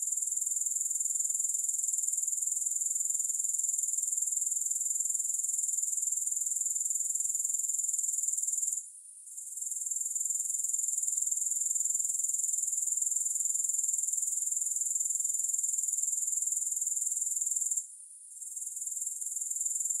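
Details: Grasshoppers chirring with no music added: a continuous shrill, finely pulsed high-pitched buzz holding an even level, interrupted twice by short silences roughly nine seconds apart before the trilling returns.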